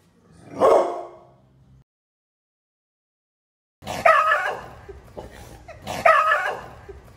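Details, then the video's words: Barking dog, one of five bark types: a single sharp bark, a long silence, then two more forceful barks two seconds apart, each ending in a short rough tail. "The 5 Types of Dog Barks"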